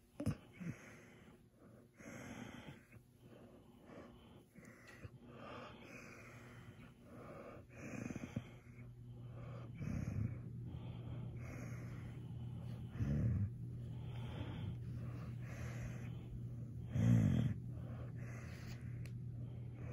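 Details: Maya, a happy German Shepherd pup, groans with delight while being petted at night. Low, droning hums swell in several drawn-out bouts, mixed with wheezy, snorting breaths in a small room.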